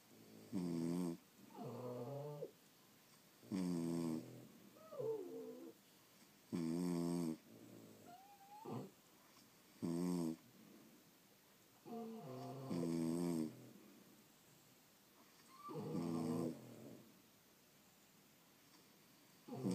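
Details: Sleeping French Bulldogs, several dogs at home, snore in a regular cycle: harsh rattling inhalations broken by nasal squeaks and whistles, repeated about every three seconds in a quiet room.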